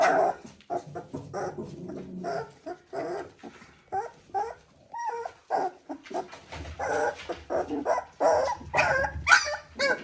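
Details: Border Collie puppies at three weeks old: rapid, high whimpers and short yips with a brief clear whine near the middle, calling in quick uneven succession.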